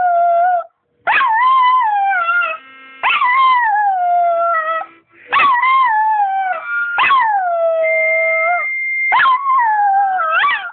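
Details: A dog howls along as its owner plays harmonica, giving drawn-out howls that rise sharply then sag and waver downward, each one to two seconds with short gaps, harmonica notes in the background.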